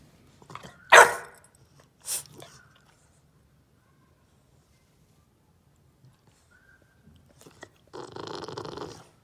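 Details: A bulldog puppy, told not to bite the couch corner, demand-barks in protest: a loud, sharp bark followed by a second, softer one, then quiet.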